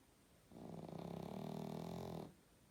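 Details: Snoring pug while sleeping: a single drawn-out, raspy, vibrating snore of almost two seconds, low and steady with a fluttering buzz, in a quiet indoor setting.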